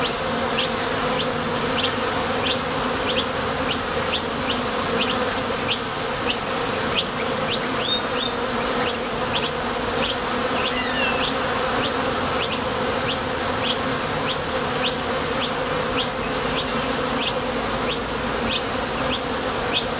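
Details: Foraging honey bees come and go at a Top Bar Hive entrance, their thoracic muscles producing a constant layered drone, with brief high clicks recurring roughly every half second over twenty seconds of busy flight traffic.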